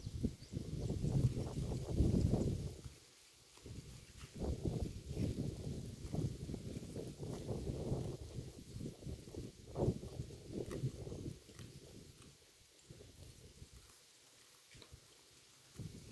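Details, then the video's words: Cow grazing on grass by the road, recorded up close: rhythmic tearing and crunching bites in dense low bursts, several per second, with a short pause near three seconds and softer chewing toward the end. "The Unique Sound of a Cow's Mouth Eating Road Grass"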